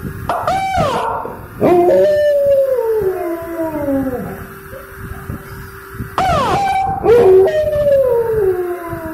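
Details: Dog howling in response to a car siren, with sharp yips leading into long descending wavering howls, two strong bouts a few seconds apart, steady hum underneath.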